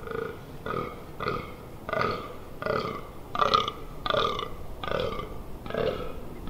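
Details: Fallow deer during the rut in the Amsterdamse Waterleiding Duinen, 18 October 2021: deep, belching groans repeated roughly every two-thirds of a second, about nine in a row with a steady rhythm.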